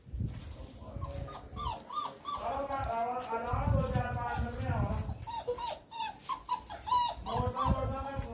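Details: Male Great Dane puppy at a kennel in Jaipur, India, whimpering: short rising whines in clusters, then a stretch of overlapping wavering whines, over a low rumbling background and a man talking.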